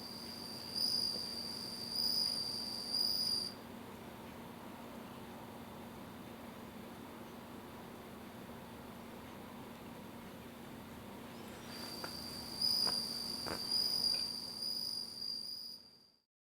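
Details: Captive bell cricket giving bright high bell-like trills of roughly three seconds, separated by an eight-second silence, ending abruptly, with faint steady background hiss.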